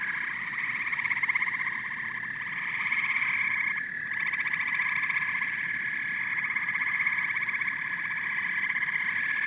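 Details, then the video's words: Massed frogs and toads croaking and chirping as a continuous chorus, rapid pulsed trills overlapping at about four per second, swelling and fading slightly, with a brief dip in the sound midway. "Frogs and Toads Symphony"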